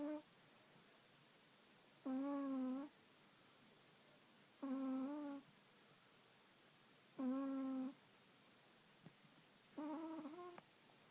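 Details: Oliver, a Chihuahua, snoring indoors: four nasal, whistle-like wheezes with a steady tone and a faint wavering, each under a second long, spaced about every two and a half seconds, with quiet breathing between them.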